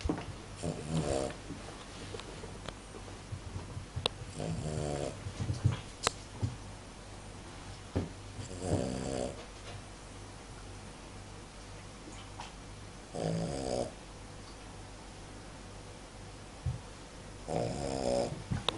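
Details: Cavalier King Charles Spaniel named Tenten snoring while asleep in a small room; rasping snore breaths come roughly every four seconds, separated by quiet stretches with faint ticks and shuffling.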